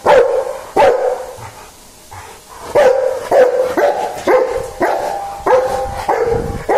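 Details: Dog barking: two sharp barks, a quieter pause of nearly two seconds, then a steady string of about eight loud, clipped barks with a tonal, somewhat yelping quality.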